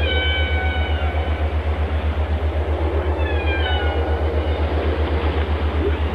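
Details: Whale singing two drawn-out, harmonic-rich tonal units, one gently falling and a later one sweeping downward, set against a constant rhythmic low thumping.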